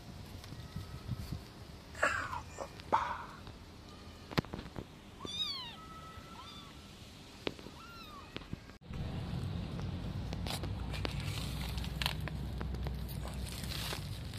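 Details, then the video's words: Homeless kitten separated from its mother, screaming for help: a few short, arched, tonal mews in quick succession mid-clip, with earlier scuffling clicks and bumps, then a steady rumbling background noise that drowns the rest. "Homeless Kitten Screaming for help"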